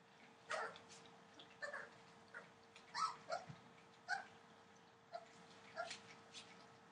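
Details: Entlebucher Mountain Dog puppies, 24 days old, indoors: a series of short, high whimpering squeaks and yips, coming roughly every second with small rising and falling tones, over a steady low hum and faint clicking.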